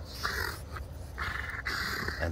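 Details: Two dogs at play, Winston, a young merle brown French Bulldog pup, and Scarlet, a French Mastiff, both family pets. Two long, strained growling sounds with a brief one between, over a low rumble, with a person speaking.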